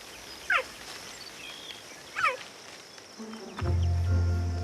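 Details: Cheetah cubs on the African savannah give little calls announcing the end of playtime before their mother goes hunting. Two bright chirps fall sharply in pitch, about two seconds apart. Soft background music then swells in and continues to the end.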